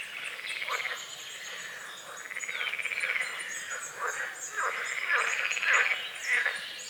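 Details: Frogs croaking at dawn over a small forest-edge lake in morning fog; pulsed, rasping trills about a second long rise and fall in overlapping bursts, while high thin bird chirps and songs run above throughout.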